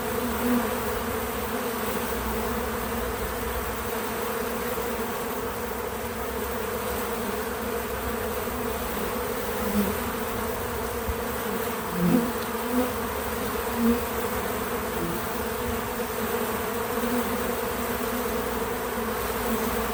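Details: Steady drone of numerous bees visiting a feeder, untouched natural sound; the even hum is broken by a few short louder fly-bys with shifting pitch, most clearly around twelve seconds.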